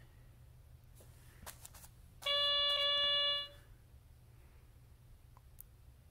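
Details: A piano mat gives a single steady electronic tone for just over a second in a quiet room, with a few soft knocks before it.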